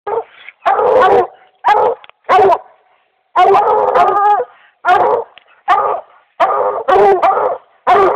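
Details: Dog treeing a raccoon, recorded in 2008: loud, hoarse bawling bays in irregular bursts, each under a second long, coming about once a second with short pauses between, some bursts run together, no other sounds.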